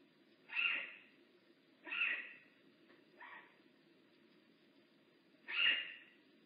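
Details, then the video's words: At Big Cat Rescue the rehab bobcat Makani utters four brief, hoarse, squalling calls spaced one to three seconds apart, the third softer, over a constant low background hum. "Lookit! I haz a voice! Makani rehab bobcat at Big Cat Rescue."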